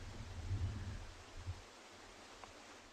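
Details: Low rumbling wind or distant engine noise with faint rustling, and no animal voice.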